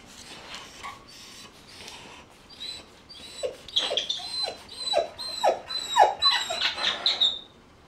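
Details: Puppies whining and squeaking: faint scattered cries at first, then a dense, louder burst of quick, falling yelps, several per second, some overlapping, ending abruptly.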